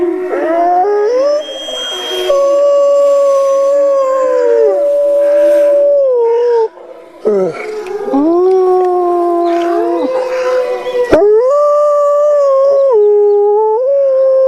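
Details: A wolf chorus of long overlapping howls that glide up and down between sustained notes, with a brief break midway before the voices swell again and hold to the end.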